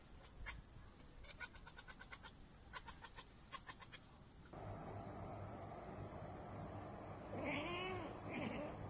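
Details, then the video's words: Domestic cat chattering on spotting a bird or insect it cannot reach: quick bursts of clipped, stuttering 'ekekek' clicks in groups, then a louder stretch with a couple of rising, wavering meow-like calls near the end over steady background hum. "Cats Ekekekeke Compilation - Cats chattering at birds!"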